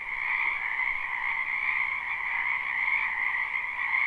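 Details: Frogs croaking in a spring wetland, a live unlooped recording: a thick continuous wall of trilled calls from many animals, stacked in a bright upper band and a softer lower one, steady throughout.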